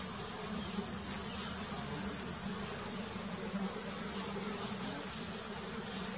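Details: Steady swarm hum from wild Apis dorsata giant honey bees while the queen is painted, a thick low droning buzz that pulses slightly, with a faint constant high whine overhead.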